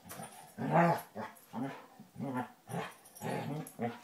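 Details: Two Basset Hounds, an older dog and a new puppy, rough housing in play: a run of low, throaty growls and grumbles in uneven bursts, rising and falling every half second or so, with one louder snarl near the start.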